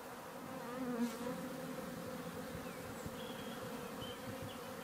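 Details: Honey bees swarming around a garden hive on a spring day in May make a rich, steady droning buzz that swells slightly near the start, with scattered faint bird whistles over it.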